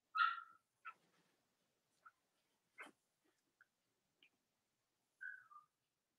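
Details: Cavalier King Charles Spaniel puppies from the litters of Robin and Myra, on a chilly Monday morning near Halloween in the US: short high squeaky whimpers, one longer falling whine at the start and another near the end, with quiet gaps between.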